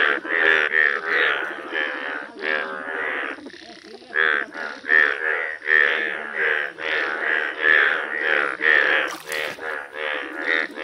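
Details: Chorus of rare yellow Indian bullfrogs (mendhak): rhythmic, wavering croaks rising and falling in loudness roughly once per second, with many voices overlapping throughout.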